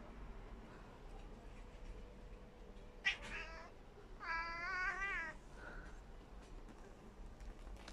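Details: A tabby cat named Tommy gives one drawn-out, wavering meow in a quiet room, apparently wanting to catch a little fly.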